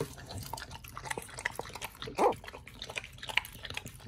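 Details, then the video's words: Raw meat being eaten by the dogs Oli and nomy; irregular moist crunches and smacks, with one louder low gulping burst midway. "Oli&nomy VS.🍖RAW Food [ASMR] MUKBANG 犬が生の肉を食べる[咀嚼音]"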